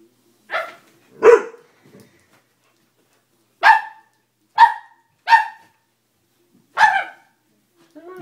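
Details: Dobermann barking in short separate bursts, a pair near the start then four more spaced about a second apart, each sharp and mid-pitched with bright harmonics; quiet indoor setting with little else heard.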